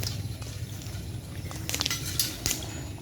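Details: Low rumbling background with scattered splashing, dripping and clattering noises at a bull race ground in Madura, with no clear animal voice.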